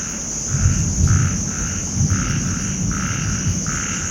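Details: Loud chorus of small frogs calling together at night, with thunder and lightning nearby. Buzzy croaking bursts come in uneven runs of about half a second over a constant high hum, with low thuds and rustling close by.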